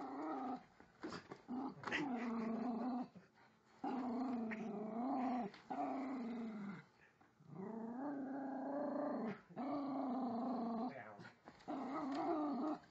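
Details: A rescued female Jack Russell mix, about 4.5 years old, growls at an electric toy train under the Christmas tree in a room during her first holiday season. The rumbling growls are long and steady, broken by brief gaps and a few snorts.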